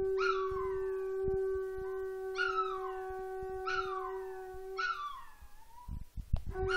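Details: Female Chihuahua-Miniature Pinscher mix howling at home in response to a conch horn being practised; four falling, wavering howls come about every one to two seconds over the horn's steady low drone, followed by a few thumps and knocks.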